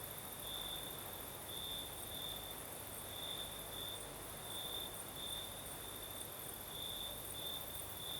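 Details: Night chorus of crickets in southern Crimea, a gentle night breeze blowing: high-pitched trills come in bright bursts roughly every half second to second, layered on continuous airy wind noise and a faint higher insect shimmer.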